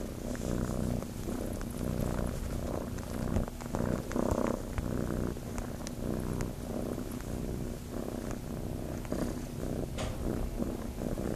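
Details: Purring kitten Chase from Starlight Farm, looking to nurse; a low rumble that swells and eases in quick regular pulses, broken by brief rustles and light taps.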